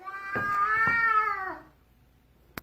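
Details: Domestic cat on a staircase, staring at its owner and refusing to let them pass down the stairs, gives a long drawn-out meow that rises slightly then falls away over about a second and a half, followed by a faint tap.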